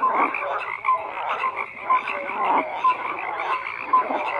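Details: Chorus of croaking frogs, a steady buzzing layer punctuated by brief louder croaks roughly every second and small high whistled blips.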